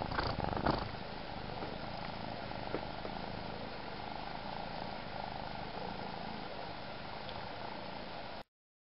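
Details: A kitten's continuous low purring, a dense even rumble with slight crackle at the start, stopping abruptly near the end.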